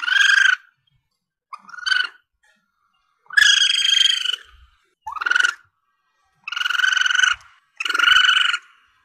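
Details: Young Asian palm civet cries, meant to draw in game for hunters: six raspy, harmonic squeals of varying length, some sweeping upward at the start, separated by short silences.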